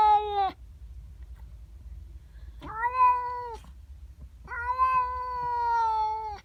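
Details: Domestic cat, female, calling at a neighbour cat that has come into its garden, heard in the morning; three drawn-out, wailing meows, the last one long and steady, separated by pauses, with faint low background rumble.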